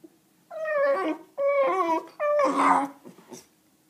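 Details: A frustrated Bull Terrier, unable to get her toy from under a table, gives three drawn-out, whining moans, each ending in a rough, grumbling edge.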